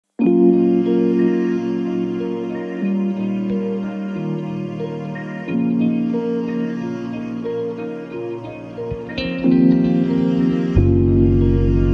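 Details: Gentle new-age instrumental music with keyboard and harp-like notes and shifting chords.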